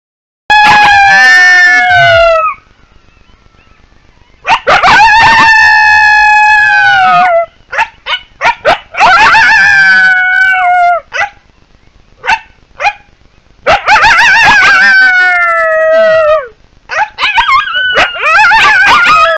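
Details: Wild coyotes howling: long wavering howls with bright overtones that slide downward, broken by quick high yips, a sharp yelping burst, then another falling howl, with short quiet gaps between the outbursts.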